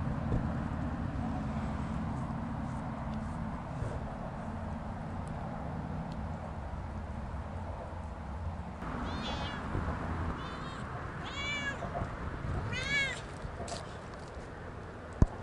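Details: Siamese cats Otani and Yozora on a sunny autumn off-leash walk through a meadow with big stones; after a low rumbling background, several short arching meows come in a loose series, some doubled, then fade.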